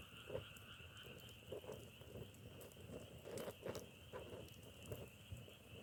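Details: Frog croaks come as brief, low knocking pulses, several per second in loose clusters. A constant high whine and occasional dry crackles sit behind them.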